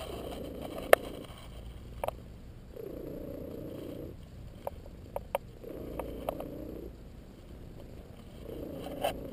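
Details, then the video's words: Domestic cat named LoneWolf napping and purring while receiving a massage; low rumbling purr comes in steady bursts of about a second, returning roughly every three seconds, with occasional faint clicks and rustling between. "Purring Cat Squeaks Like A Whistle"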